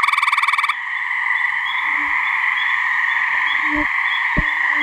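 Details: Gray treefrog (Hyla versicolor) mating call at a New Hampshire swamp, calling season May to midsummer: a sharp, rapidly pulsed musical trill, then a steady ringing chorus of many frogs with a few soft low thumps.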